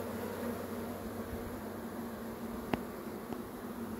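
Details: Even, low buzzing hum from a swarm of honey bees, interrupted by two short sharp taps near the end.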